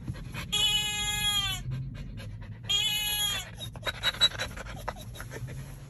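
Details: A Siberian Husky puppy inside a Tesla Model Y, reacting to random sounds, gives two drawn-out, harmonic whining howls that droop slightly at the end.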